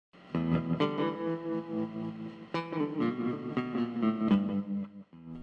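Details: Distorted electric guitar music strums and plucks throughout, with no animal voice heard.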